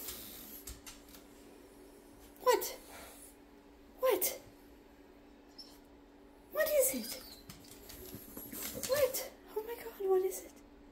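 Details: A female Shar Pei dog indoors, barking at something unseen outside, gives short loud barks in spaced bursts, about five over eleven seconds, while a person keeps asking what it is.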